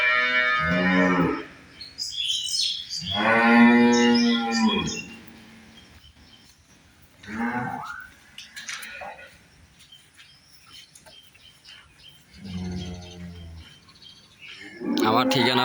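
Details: Holstein Friesian dairy cows at a farm in Bangladesh, several drawn-out harmonic moos of varying length separated by quieter gaps, with faint chirps and a man's voice.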